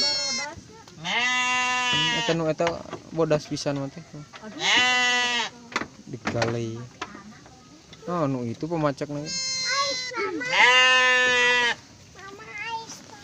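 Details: Garut sheep ewe giving birth to triplets: several long, steady, harmonic bleats, each lasting about a second, alternate with human speech throughout.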